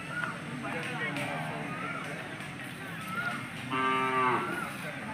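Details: Hallikar cattle at the Sunday Jodugatte cattle market in India; a single short harmonic moo rises near the end amid a busy market background of chatter, bustle and music.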